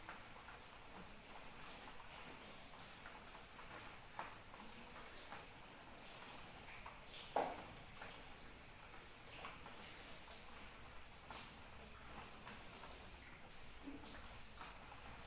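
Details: Rainy night with crickets: a constant, piercing high trill runs without pause, joined by a faintly pulsed higher voice, while gentle rain patters and occasional heavier drops splash nearby.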